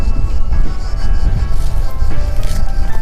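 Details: Steady music with sustained tones dominates, over a heavy low rumble like passing vehicles. No animal voice can be picked out.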